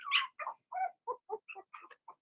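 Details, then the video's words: Young Blenheim Cavalier King Charles Spaniel puppies from Remy's first litter yapping in their pen: about eight sharp, squeaky barks, the first loudest and highest, the rest shorter and lower, spaced roughly every quarter second. "Cavalier Puppies Bark, Howl"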